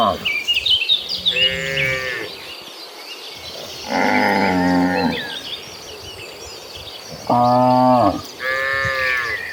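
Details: Gentle cattle walking to green pasture moo four times, each a harmonic low of under a second, spaced by a few seconds of quieter ground noise and scattered bird chirps.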